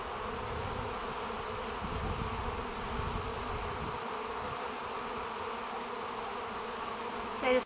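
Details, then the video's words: Bees being hand-fed make a steady, continuous buzzing drone, many wings humming together close by, fading slightly midway and ending with a brief handling noise. "Busy Bees"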